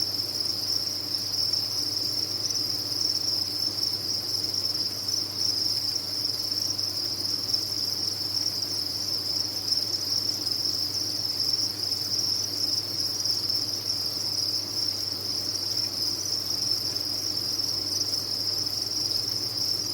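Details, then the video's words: A cricket farm's massed insects give a constant shrill trilling, unchanging in pitch and loudness throughout, backed by a quiet low droning hum. "Sound of a Cricket Farm"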